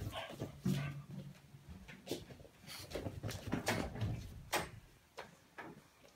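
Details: French Bulldog waking its owner: low, throaty grunts and snuffling, strongest early on, mixed with sharp rustling clicks and taps throughout.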